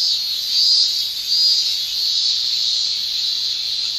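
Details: Shrill summer song of male cicadas in Japan, made by their tymbals: a high continuous buzz with two louder surges in the first second and a half, then steady.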